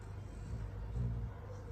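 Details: Male dog Donj sleeping deeply in an air-conditioned room, giving a low, rumbling, tonal snore that swells for under a second in the middle of the clip over steady low background hum.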